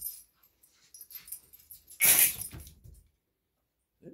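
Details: Manchester Terrier, one of two freshly adopted, fully grown one-year-old brothers, gives a short, loud, harsh bark after a run of soft, scattered whines and scuffles, followed by silence and a brief human voice at the end.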